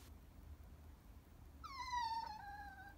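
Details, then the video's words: Chihuahua crying: after a quiet stretch, one clear whimper rises in, then glides downward and trails off over about a second and a half. "Chihuahua so cute cry baby"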